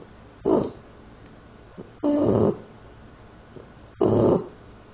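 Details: Pet puppy Daisy snores in her sleep, three loud rasping snores about a second and a half apart, each a short rough burst in a quiet small room.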